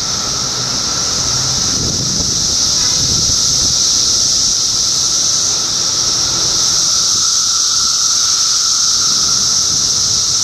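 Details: Cicadas in Middlesex County, New Jersey, June 2013, form a constant, dense, high-pitched chorus: a loud steady shrill hiss with a fainter droning tone underneath. Some low rumbling comes through in the first few seconds.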